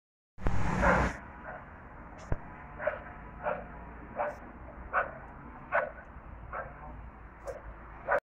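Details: A dog barks near a chestnut tree in Kutno, Poland: about ten short, sharp barks repeated roughly every two-thirds of a second over a steady low rumble, after a loud broadband burst at the start.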